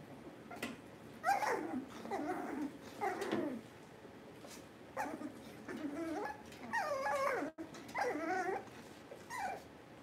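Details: Several puppies from a litter whimpering and squealing indoors during a power-out livestream, a run of high, wavering whines with short gaps, bursts rising and falling in pitch over about ten seconds.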